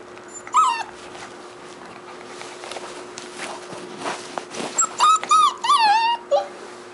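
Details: Beagle puppy giving high, wavering whimpers and yips, one near the start, then a rapid run of rising-and-falling whines in the last two seconds, over a low steady hum and faint room noise.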